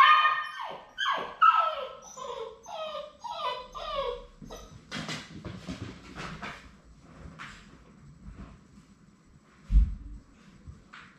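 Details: Indoor whimpering from Labrador Retriever puppies at High Desert Labradors, spending their last day together before going to their families. About six short falling whines come in quick succession, then knocks and soft thuds follow.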